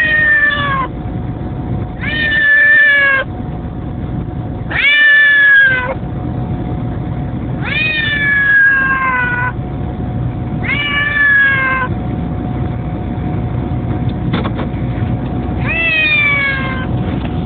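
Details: Domestic cat meowing during a car ride on the way to a school pickup: six loud, drawn-out, harmonic meows about every two to three seconds, over a steady low vehicle hum.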